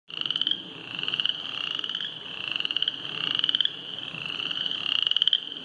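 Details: Several frogs by a trail flooded after heavy rain call together in a dense chorus of high, buzzy, pulsed trills that swell and fade in overlapping waves every second or two, almost without a break.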